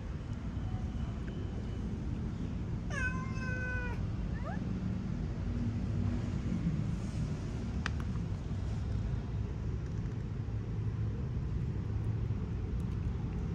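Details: Stray temple cat at Wat Ratchanatdaram Worawihan, Bangkok, Thailand, June 2024, friendly to people when snacks appear; one clear harmonic meow near three seconds, then a shorter falling one, over a steady low urban rumble.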